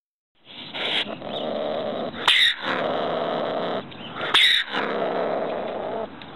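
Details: A ringtail (Bassariscus astutus), also called ring-tailed cat, gives three long, harsh, raspy screeches, each over a second long, broken by sharp clicking bursts between them.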